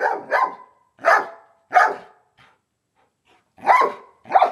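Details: Black Giant Schnauzer Moses and gray Elsa at play, trading short gruff growling barks: a quick double burst, two single harsh yaps about a second apart, a pause, then two more rough bursts.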